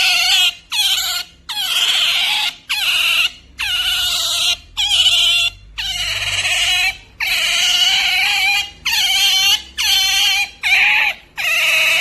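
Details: Genki, a pet otter, making pampering noises: a loud run of high, harsh squeals, each about half a second, repeated in rapid bursts with brief gaps across the whole stretch.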